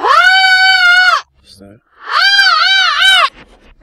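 A pug gives two drawn-out, wavering yowls that rise and fall like speech.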